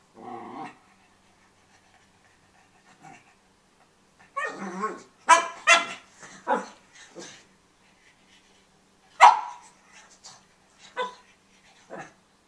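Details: Tobey, a pug puppy playing with his bone, lets out scattered short, raspy yaps and gruff bursts in uneven clusters, with quiet gaps between them and a brief low grumble at the start.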